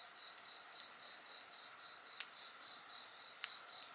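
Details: Insects calling by a bonfire, their rhythmic chirping pulses running steadily over a constant high ringing drone, with three distinct fire crackles.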